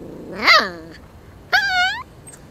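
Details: Norwegian Buhund greeting indoors with two vocal bursts: a loud, arched yelp that climbs and falls, then after a pause a steadier, slightly rising whine of about half a second.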